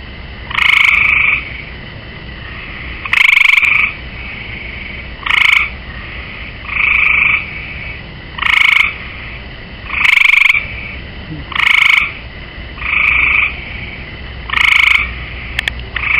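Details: Gray tree frog on a swimming pool rail keeps up a steady calling bout of eleven short buzzy pulsed trills, one about every one and a half seconds, with faint hiss between them.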